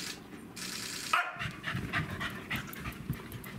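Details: Welsh Corgi brothers Len and Stephan, siblings of Roku, meeting on 18 February 2017; quick breathy panting runs through the clip after a brief rustle, over a low indoor background hum.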